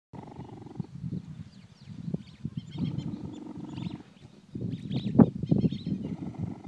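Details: A relaxed cheetah purrs while enjoying a person's company, a deep, steady rumble that rises and falls with each breath, like a kitten.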